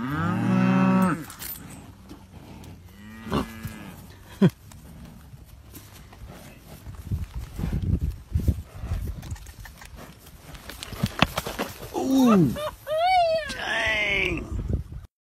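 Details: A cow being tagged, with a horse shielding the cowboy from it. A loud moo opens the clip and a shorter one follows. Clattering, thudding activity comes next, then rising and falling bellows toward the end.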